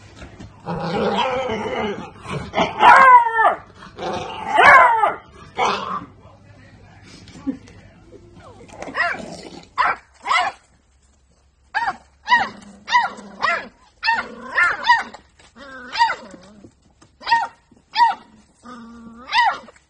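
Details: Beagle puppy barking: a cluster of loud, rough yaps at first, then a steady string of short, sharp yips repeated about every half second to one second in a quiet room.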